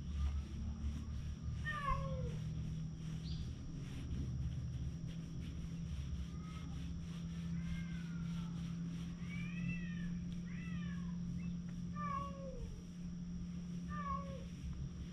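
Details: An orange tabby cat that settles on a lap and will not budge, recorded on a GoPro HERO8. It gives a series of short arched meows, one every one to two seconds, over a steady low hum.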